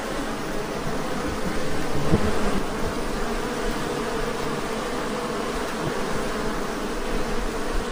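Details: A very aggressive, newly acquired Western honey bee (Apis mellifera) hive produces a dense, steady buzzing drone from many wings at once, low and unbroken throughout.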